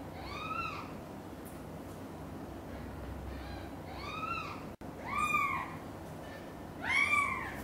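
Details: Meowing of cats as mother cat Xaxa, hearing a kitten meow loudly, carries mother cat Chan's two kittens, Miracle and Cream, to her own nest: four clear, bowed, harmonic-rich meows, two close together near the end, over steady low background hum.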